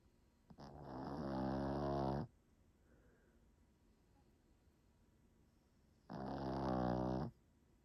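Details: Sleeping dog snoring indoors: two long, raspy, buzzing snores with strong low harmonics, each about one and a half seconds, separated by roughly four seconds of quiet breathing room.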